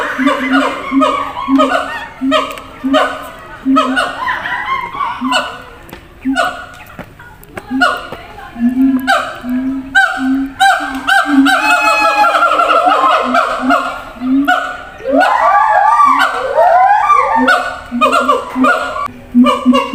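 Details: Caged zoo siamangs shouting back and forth between enclosures: pulsing deep booms mixed with barks, building midway into a dense burst of rising, wavering whoops before the steady booming returns.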